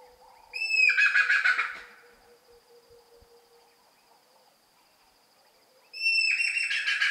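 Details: Rock hyrax, or dassie, screaming at night: two harsh, screeching bursts, each about a second long with a sharp rising start, several seconds apart, over a steady high whine and a faint low hum.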